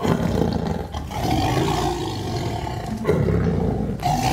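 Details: Roaring Sumatran tiger, Indonesia: a sustained, harsh, low roar lasting about four seconds with a brief dip near the middle and a renewed surge toward the end.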